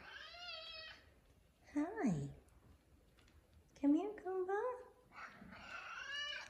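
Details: An affectionate male F2 Savannah cat meows. A harmonic meow opens, and another closes after a long gap. In between, a woman calls and greets him in soft, rising and falling speech.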